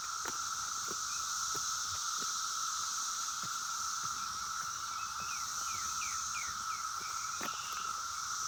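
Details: The Brood X 17-year periodical cicadas in Oregon Ridge Park, Maryland, on 26 May 2021, hiss and drone in a dense, steady chorus with other cicadas. Short notes from birds, including red-winged blackbirds and catbirds, and a few clicks break through.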